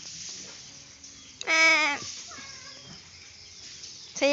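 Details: A playful, mischievous goat lets out one loud, half-second harmonic bleat, steady in pitch. A second bleat begins just as the recording ends. The background is quiet outdoors between the calls.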